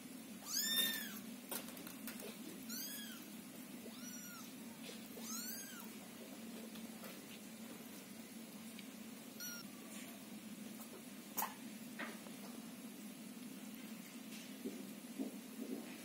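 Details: Scottish Fold kittens give high, thin, rising-and-falling mews in quick succession, waiting loudly in a box while their house is cleaned, with the mother cat nearby calming them.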